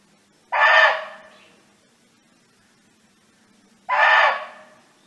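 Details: Wild barking deer calling out to companions: a pair of abrupt, coarse barks roughly three and a half seconds apart, each half a second long with a trailing fade, over a faint low steady hum.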